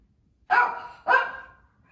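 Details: Lacey, a pet Shih Tzu, roaming the family room and barking, possibly bored or watching something outside: two sharp, loud barks about half a second apart, with no other sounds.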